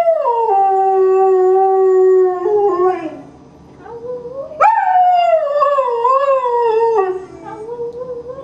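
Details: A pet greyhound in foster care sings its roo: a long level howl breaks and dips into a brief lull, then a second howl leaps up abruptly and wavers up and down in pitch before easing downward.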